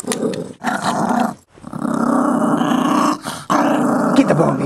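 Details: Chihuahua mix guarding a bone and acting tough; continuous rough growling in long stretches, broken by brief pauses, with a person's voice mixed in.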